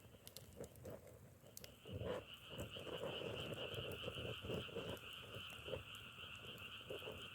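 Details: Frogs croak close by in quick, uneven pulses, roughly four a second, while a wider chorus hums steadily above them; faint crackling clicks scatter through the scene.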